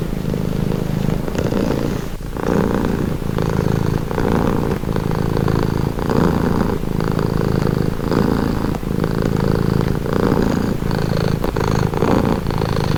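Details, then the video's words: Relaxing purr from a domestic cat, a deep continuous rumble that pauses briefly near two seconds, then settles into an even rhythm of inhale and exhale swells about every second. "Purring cat"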